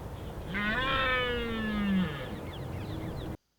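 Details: Red deer stag bellowing during the rut at Richmond Park, answering another stag's bellow: a single drawn-out, strongly harmonic roar lasting about two seconds, falling slightly in pitch, with faint background noise.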